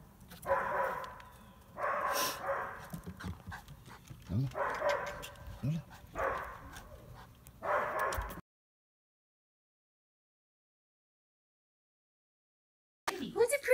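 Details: Lola the Toy Poodle, in costume for Halloween 2018, excited and hyper, barks about five times, one burst every second or two. A person speaks between barks, then a long silence and a brief noise at the end.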